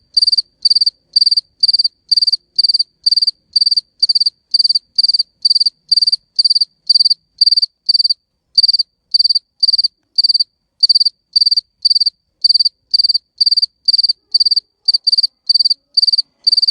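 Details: Male cricket producing high-pitched chirps to attract females: each chirp is a quick burst of four or five pulses, repeated about twice a second with one brief pause midway, against otherwise silent background.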